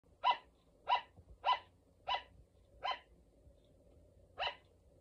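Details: Pet sugar glider, a female named Luna, barking: six short, sharp yapping barks with a bright ringing tone, spaced roughly every half to one second with a longer pause before the last, in a quiet indoor setting.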